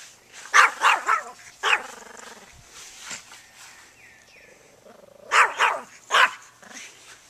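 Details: Pet dog barking at a lawnmower: two bursts of loud, rough barks, three or four quick barks at the start and another close-set volley near the end, separated by a quieter stretch with faint high chirps.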